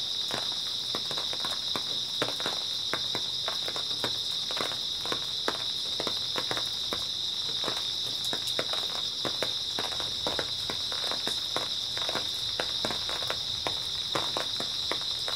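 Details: Early autumn night with grass insects chirping in a dense, continuous high buzz, accompanied by a rapid series of crisp footsteps and brushing sounds.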